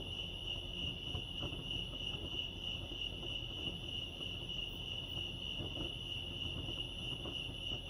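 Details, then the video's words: A continuous, even, high cricket trill from Lake Arrowhead, California, ringing at a fixed pitch with faint overtones, over a quiet low background hum and scattered small ticks. "crickets chirping lake arrowhead"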